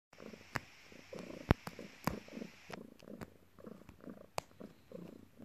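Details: Domestic cat named Morning purring while kneading its owner after work; low rumbling purr in rhythmic pulses, interrupted by several sharp clicks and taps.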